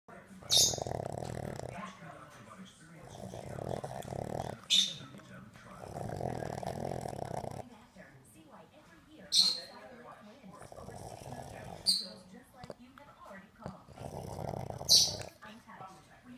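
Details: One of two sleeping Boston Terriers makes rhythmic snoring grunts broken by sharp, high squeaks.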